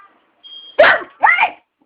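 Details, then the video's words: Mishi, a pet Aspin dog, 'talks' in two drawn-out, harmonic syllables, the first dropping and the second wavering and rising, in a quiet room after a faint high beep. "mishi the talking aspin"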